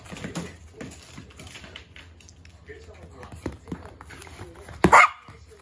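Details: Poodle playing ball in the morning gives one sharp, loud bark near the end, after several seconds of quiet tapping, soft thuds and a woman speaking in Japanese.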